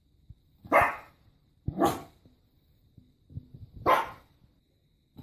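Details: Dog giving three loud, separate barks about a second apart, each a sharp broadband burst, with a short soft sound between them and a fourth bark starting at the end.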